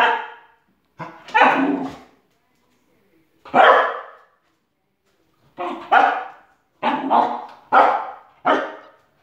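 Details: Spoodle Loki, now past puppyhood, chasing shadows with an irregular run of about eight sharp barks, including quick pairs, with pauses of one to two seconds between bursts.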